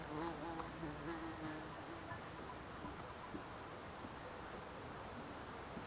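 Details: Bees and insects in the Alpstein massif, Switzerland: a nearby low, wavering buzz with clear overtones passes during the first two seconds, then fades into a faint steady background hum in a quiet mountain setting.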